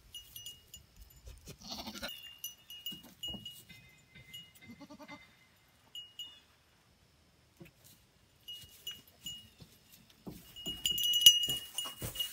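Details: Bell-wearing goats give brief wavering bleats early on between light cowbell tinkling, with quieter pauses before a burst of louder, busier clanking at the end.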